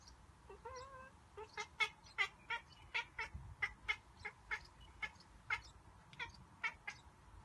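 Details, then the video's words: Domestic cat reacting to birds outside the window with a monkey-like sound: a brief rising meow, then a rapid run of staccato clicks and chirps, about two per second, continuing steadily for several seconds indoors. "Cute Cat Makes a Sound like a Monkey"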